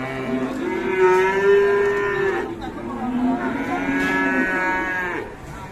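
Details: A fierce cow bellows loudly in two long, steady moos, each held for about two seconds with strong harmonics, the second slightly lower, against a quiet background.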